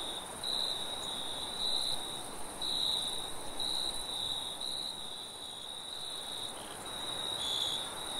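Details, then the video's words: Crickets chirping at night in a forest, sharp high pulses arriving about once a second, sometimes doubled, layered over a faint constant shrill buzz and light rushing wind. "Nighttime Forest Ambience - Crickets and Sound of Wind"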